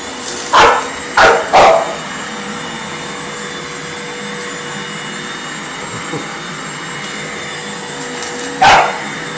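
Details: Thadeus, an English Bulldog, barking while attacking a running vacuum cleaner indoors: three quick harsh barks in the first two seconds, a long stretch of droning motor, then one more bark near the end.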